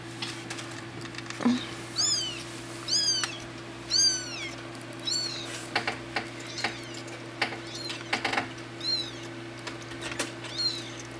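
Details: Two-week-old kittens at play give a string of about ten high, arched squeaky mews, spaced roughly one per second, each rising then dropping in pitch, against a constant low hum in a quiet room.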